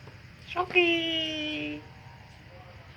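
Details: A cat frightened by a strange sound gives one drawn-out meow, lasting about a second, with a rich harmonic tone that holds steady and then sinks slightly in pitch. A low background hum continues throughout.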